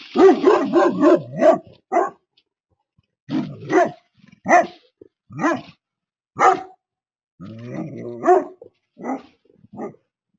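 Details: Livestock guardian dogs, an Anatolian Shepherd and a Great Pyrenees, warding off a coyote at a goat corral: a quick burst of deep barks, then loud single barks spaced about a second apart, with a short rough growly stretch.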